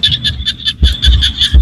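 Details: Evening chorus of small frogs in rice-field countryside in Cambodia: quick, shrill pulsed notes in a continuous high band, broken by several deep low thumps and a faint murmur in the background.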